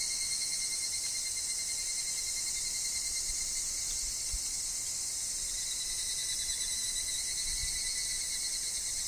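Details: Evening cicadas (higurashi) sing in woodland, their high, bright ringing merging into one unbroken chorus. A steady thin tone sits below, and soft low rustles of wind and fallen leaves come through now and then.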